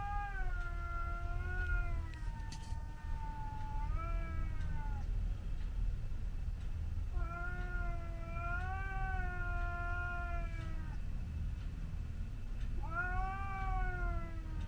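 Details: Scottish Fold in a garden fight with a white outdoor cat that visits: three long, drawn-out wavering yowls, each several seconds, rising and falling in pitch, with short pauses between and low background rumble.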